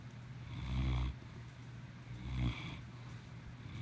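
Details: Two slow, throaty snores from Maximus the cat, each rising to a rough peak and stopping abruptly, with a quiet steady hum between breaths.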